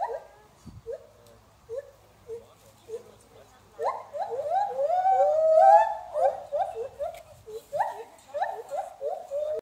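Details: White-handed gibbons calling at Oakland Zoo in a duet: spaced short hooting notes at first, then a loud run of swooping rising-and-falling notes building in intensity, followed by more repeated hoots in quick succession.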